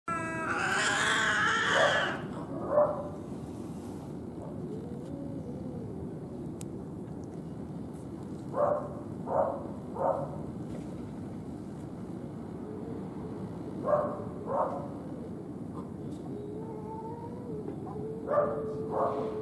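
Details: Cats fighting outside, one backing away in fear, with scream-like cries. A harsh, loud cry opens, then short wavering yowls return every few seconds over a steady low background hum.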